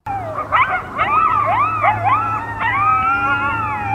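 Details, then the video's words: A pack of coyotes howls together in a frozen New Hampshire field in winter, wavering high voices rising and falling over one another with yips mixed in. "COYOTES HOWLING in the Cold New Hampshire Winter - WiNE"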